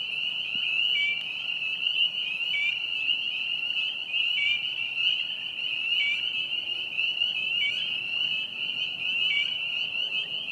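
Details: A dense chorus of spring peepers (Pseudacris crucifer) sings at Vernal Pond, Hillside Park, on April 25, 2020: countless high, piercing peeps overlap into a steady shrill ring.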